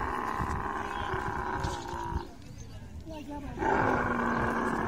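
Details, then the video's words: Mating camel making a harsh, throbbing roar that stops abruptly after two seconds. Quieter bubbling sounds fill the gap before the loud, gurgling rumble returns strongly at the end. "Camel love full video|| mating sounds"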